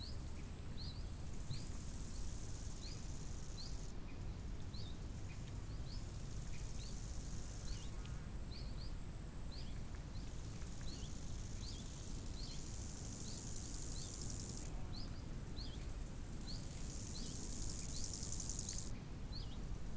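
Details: Crickets by a lake in summer: a thin, high, steady buzz that cuts in and out in blocks of several seconds, over a loud low rush of wind, with short bright bird notes repeating throughout.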